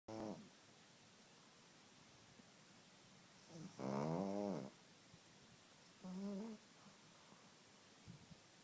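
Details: A pug dog snoring: three rasping, harmonic-rich snores of about half a second each, a short one at the start and a long one near four seconds, then another at six seconds, with quiet breathing between.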